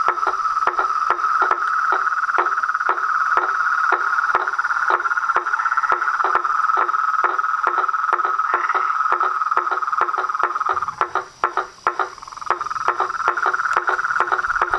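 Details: Frogs, toads and treefrogs chorusing at dusk from a pond (açude) in front of a house veranda; a steady dense trill layered with sharp clicks repeated about twice a second, briefly dropping out near the end before resuming.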